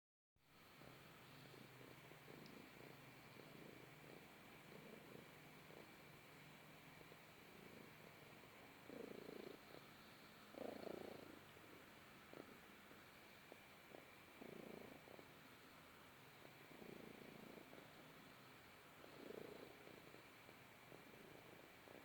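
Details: A Balinese cat cuddling in the sun gives a quiet, continuous purr, a low vibrating hum, with several louder, breathier pulses rising now and then over faint background hiss.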